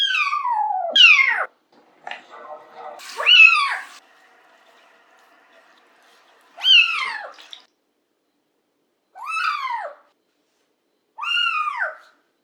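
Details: Domestic cat meowing during a bath indoors: about six loud, arched meows with rich harmonics. Each rises then falls, and they come one to three seconds apart with silence between. A faint rustle is heard around the third second.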